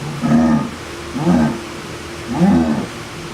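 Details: A jaguar, a big cat making strange sounds, gives three deep, hoarse grunting calls about one second apart, each a rough low rasp with layered overtones.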